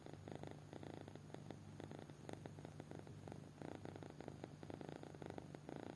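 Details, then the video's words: Kitten in deep sleep, snoring in soft low rasping bursts, clusters of quick pulses separated by brief gaps, breathy rattle over a steady hum indoors. "Anak Kucing Tidur Pulas Sampai Ngorok"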